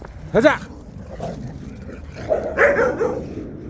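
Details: Korean Jindo dogs out on a walk give two sharp barks, one early and one near the end, with a person talking between them and faint background music.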